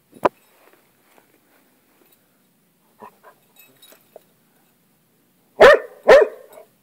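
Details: A hound confronting a lizard. After a sharp click and a few seconds of faint scuffling, it delivers two forceful barks half a second apart near the end.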